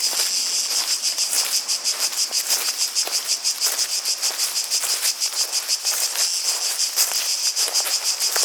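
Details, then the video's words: Cicadas filling the air with a piercing, sizzling high drone throbbing about three times per second, while scattered soft clicks, possibly footsteps, sound beneath. "Relaxing Sounds of Cicadas"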